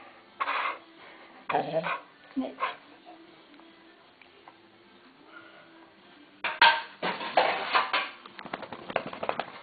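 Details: Welsh Springer Spaniels Frauke and Aisling, begging for food indoors as they are kept waiting, give sharp barks: three bursts in the first three seconds, a pause, then a louder flurry of barks and yelps, with Dutch speech in the room.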